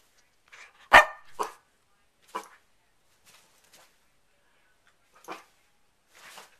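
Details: Sassy pet dog barking at its owner from the bed while she asks if it wants to get down: two sharp, loud barks close together near the start, then a few faint short yips spread through quiet indoor stretches.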